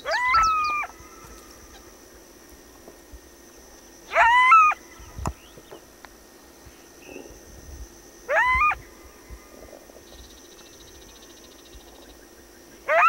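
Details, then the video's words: Coyote giving short, high howls that rise, then bend and drop away. Each lasts under a second, and they repeat about every four seconds with quiet gaps between, over a faint steady background hum. "Coyote and wolf sounds"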